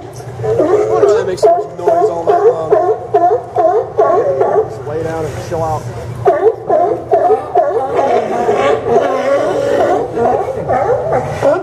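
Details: Barking sea lions at the Port of Newport Town Dock on Yaquina Bay, Oregon, September 20, 2015: rapid, rhythmic series of harsh, hoarse barks, more than two a second, several animals overlapping, with a brief pause midway.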